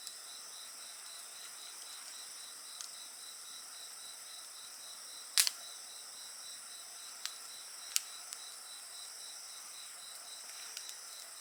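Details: Insect chorus beside a bonfire: a steady high shimmering drone with a softly pulsed band repeating several times a second, plus a few sharp crackles and pops from the burning fire.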